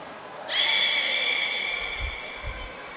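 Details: Beluga Nico in training at Port of Nagoya Public Aquarium, 25 February 2024: a thin high pure tone gives way to a bright, sustained harmonic squeal lasting well over a second, easing slightly downward, with low thumps near the end.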